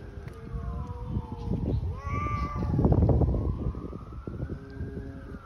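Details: Hungry street cats in a fight trade long, wavering yowls that rise and fall, several drawn-out cries overlapping with rich harmonics above a steady rumble of outdoor street noise.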